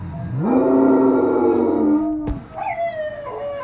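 A Great Dane howls, sliding up into a long steady drawn-out note before breaking off.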